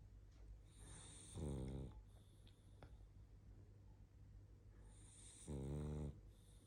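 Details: Barney, a sleepy pug, snoring while asleep; two loud rattling buzzy snores about four seconds apart, each lasting half a second, with quiet breathing between.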